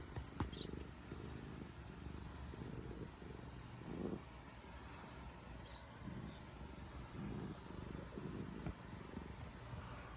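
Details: Purring black domestic cat, pleased while clawing and nibbling; soft low rumble swelling and fading in uneven breathy bursts, with occasional light taps and rustling.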